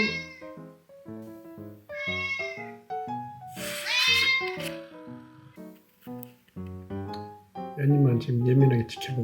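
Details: Male neutered yard cat meowing while watching the other cats, with several drawn-out harmonic meows spaced a couple of seconds apart, alongside background music and a speaking voice.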